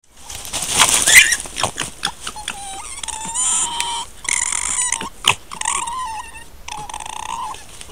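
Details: Two red foxes (Vulpes vulpes) interact near their dens in Italian countryside, filmed by a trail camera, giving a run of high, nasal whines and squeals mixed with harsh, raspy bursts.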